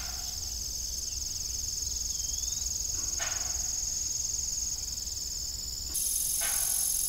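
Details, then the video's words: Evening cricket chorus around an abandoned family farm's old windmill: an unbroken, high-pitched trilling, with a couple of short metallic creaks and a slight rise in loudness near the end. "Evening Cricket Sound"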